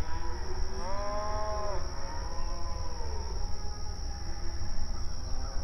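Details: Cattle on an open outdoor pasture: one clear, rising-then-falling moo lasting about a second, followed by a fainter, more distant low call, with a steady high whine throughout.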